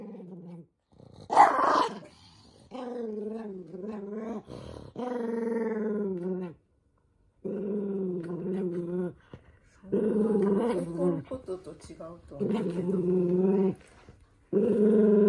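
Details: Eldest toy poodle Minato grumbling during a sock-fitting attempt: one sharp bark early, then long continuous throaty growls in uneven bouts, some wavering, with short breaks between.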